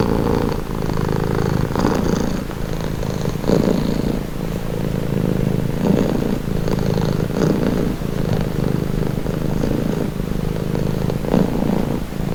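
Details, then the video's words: Relaxed domestic cat purring at close range, a throaty low rumble pulsing in breath-length waves, with a few light scratchy rustles. "Purring cat"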